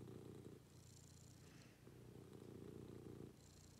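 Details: Domestic cat purring during a morning routine at home: steady low rumbling purr in two long phrases split by a brief pause, soft and close, with faint high hiss in the background.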